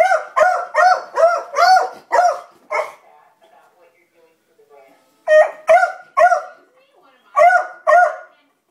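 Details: Rapid run of about seven barks from pet beagle Libby, alarmed by dogs across the street, then a lull with soft murmuring sounds before two more paired barks.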